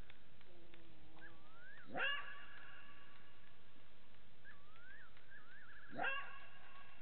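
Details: At Gowrie dam waterhole, Djuma Game Reserve, Sabi Sand Wildtuin, South Africa, 02:27 on 09/15/18, a side-striped jackal (Canis adustus) calls, giving two sharp, rising yelps about four seconds apart.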